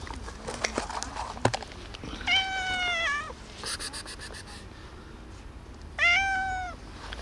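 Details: Calico cat with a gray cat giving two tiny meows, each a short harmonic, slightly falling cry under a second long, about four seconds apart; scattered clicks and soft handling noises before the first meow.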